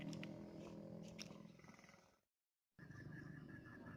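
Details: Frogs calling at night: dense, low, rapidly pulsing croaks fill the first two seconds. After a short silent break, a steady pulsed higher trill runs over continued low croaking.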